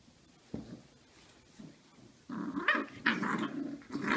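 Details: Puppies play-fighting indoors; quiet for the first two seconds apart from a brief thump, then continuous rough growling with harsher yappy bursts over the last two seconds.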